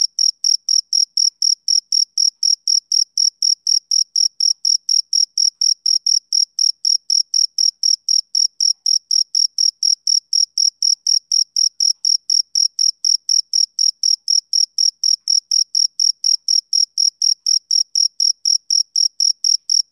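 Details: Male cricket chirping in a steady, unbroken rhythm: short, shrill, high-pitched pulses about four per second with a faint higher overtone, against complete silence with no other sounds.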